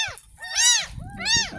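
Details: Ten-day-old village kitten, rescued from a gutter in front of a house, during its first bath: two loud, arched, harmonic meows rising then falling, the second after a brief pause, over faint background music.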